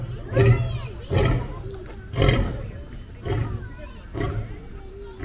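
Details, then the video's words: Lion during an encounter with another lion, sounding five deep, rasping grunts about a second apart, the first three loudest, with faint higher tonal sounds in the background. "A Lion's Roar, Have You Heard That?"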